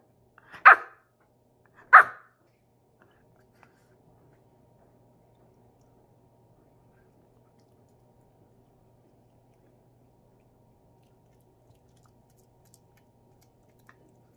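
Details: Male Pomeranian named Choco, born May 2020, gives two quick bright yaps about a second apart, then stays silent for the rest of the stretch.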